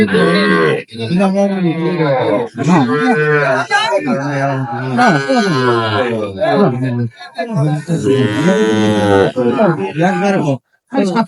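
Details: Sahiwal bull calves at a cattle sale on 9 June 2025, where a farmer from Sylhet is buying; long, drawn-out, wavering moos follow one another with short breaks, and men's bargaining voices sound throughout.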